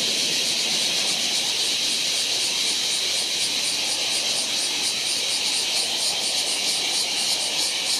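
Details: Steady frying-oil buzz of a large brown cicada in July, high and hissing, with a subtle quick throbbing running through the unbroken drone.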